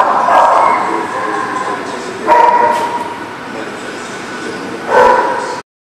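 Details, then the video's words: Dog barks recorded on 24 September 2018, three rough outbursts about two to three seconds apart over a constant rumbling background hum. "The Barking Lot"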